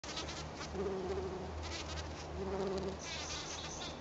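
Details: Black-tailed bumble bee (Bombus melanopygus), sonication buzz: buzz pollination, vibrating pollen loose from azalea flowers.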